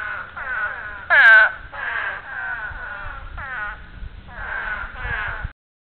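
Spadefoot toads give nasal, bleating breeding calls in short bursts, one after another.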